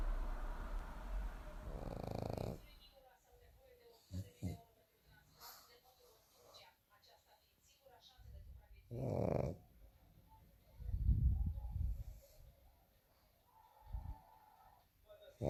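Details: Pet pug Aisha snoring: a voice talks briefly at the start, then irregular deep, gravelly snorts and wheezy breaths follow, several close together near the end.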